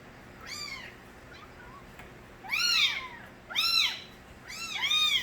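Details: Little stray kittens' loud crying: a faint meow first, then three strong arched meows at about one-second intervals, each rising and dropping in pitch, with several voices overlapping.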